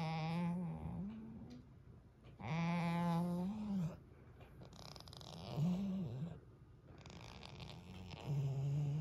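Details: Female goat let indoors from cold mountain wind and drifting snow, resting content by the fire on the furniture. She gives low, steady hummed murmurs: long held nasal tones, some rising then dipping at the end, about four in nine seconds.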